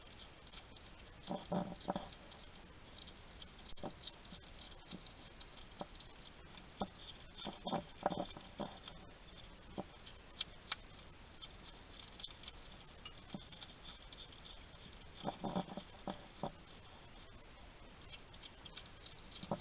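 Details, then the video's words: Wild hedgehog at a garden feeding station in Somerset, UK, chatting to itself while eating: scattered soft crunchy bursts and snuffling clicks, bunched around a few seconds, separated by quieter stretches of faint ticking. "Ever wonder what a hedgehog sounds like? This little guy chatting to himself while he eats."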